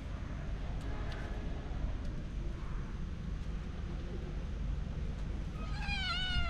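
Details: A cat from a family of three cats out walking together, wary when approached by someone trying to play, gives a single drawn-out meow that falls in pitch near the end, over a steady low rumble of background noise.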